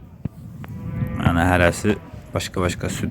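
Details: Cow from a group of three cows with calves offered for sale, dairy animals giving around 18–20 litres of milk; a short harmonic low moo of about half a second, surrounded by clicks and a man's voice talking.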